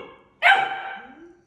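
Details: Deutsch Drahthaar puppy training in its third week, with Gustl on the bench and an older dog nearby: one sharp, loud bark bursts out suddenly, rich in harmonics, then fades into a lower, trailing whine over about a second.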